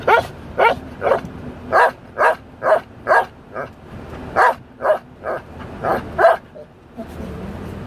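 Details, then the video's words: Pet Belgian Malinois singing along with music, a fast run of about fourteen short yelping, howl-like notes packed into seven seconds, some louder and higher than others. "Belgian Malinois Dog Singing"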